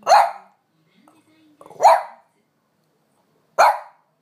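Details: French Bulldog Amelie barking indoors, pleading to go for a walk while the owner lingers; three loud, sharp barks spaced over four seconds with a soft whine between.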